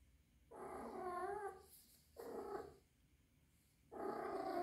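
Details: Orphaned female kitten aged three months, taken indoors after rescue, possibly in heat; three loud, wavering yowls, the first about a second long with a quavering pitch, the last cut off.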